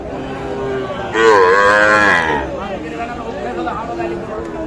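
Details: Bangladeshi Sahiwal bull calf at Aftabganj cattle market, Dinajpur, on a Tuesday market day in July 2024; a loud, rich moo bends upward then falls over about a second, followed by crowd talk.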